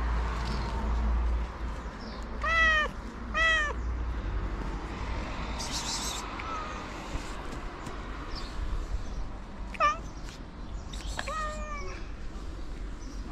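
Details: A white cat meowing for food, giving four clear, harmonic-rich meows in two pairs, each sliding up then down, with long pauses between them and a steady background hiss with occasional rustles.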